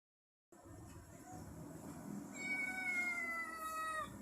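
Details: Domestic cat giving a noisy, high, drawn-out meow that slowly falls in pitch over about two seconds, heard against a steady background hiss.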